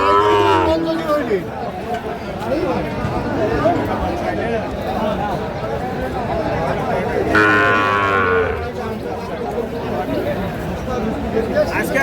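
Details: Sahiwal breed bull calves at a market on 25 March 2025, sold to a farmer from Chattogram. Two loud harmonic moos, one at the start and another about seven seconds later, each lasting about a second, rise above dense market babble and people talking.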